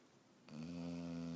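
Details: Pumpkin Smooch, a pet dog, snoring while asleep and apparently dreaming: after a brief quiet moment, a steady, low, nasal drone begins and holds evenly to the end.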